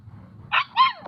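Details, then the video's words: Puppy vocalizing to its owner: two short, bright yips, the second a harmonic whine that rises then slides downward, with faint low background hum. "puppy talks to his owner"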